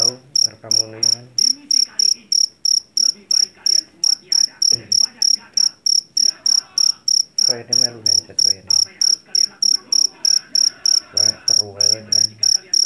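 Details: Loud-voiced jangkrik Jawa, a field cricket captured in a rice field. It sounds a piercing chirp roughly three times per second without pause, while human voices talk intermittently in the background.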